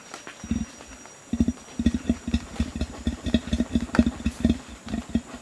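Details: Continuous low grunting by a male Bornean orangutan warning gibbons off; after a brief quiet start, short deep grunts repeat roughly twice per second in a steady, slightly uneven series.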